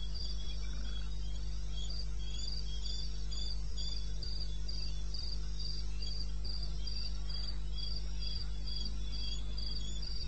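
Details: In eastern Botswana's wilderness at 02:30 AM on 21 May 2016, a cricket keeps up a very regular high pulsing chirp, about three per second, steady throughout, over a low, unchanging hum.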